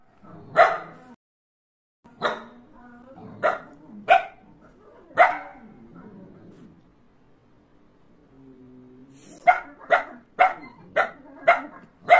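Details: German Shepherd puppy barking in reaction after watching TV: sharp barks spaced irregularly over the first half, a soft low hum and quiet pause in the middle, then a fast run of six short barks near the end.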